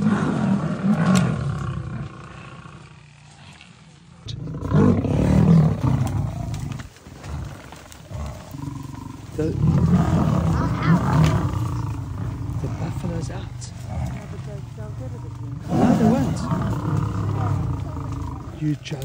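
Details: Lions at Thornybush, the Northern Black Dam males with their Avoca Pride: deep, low roars and grunts arriving in several separate surges over about nineteen seconds, with men talking between the bouts.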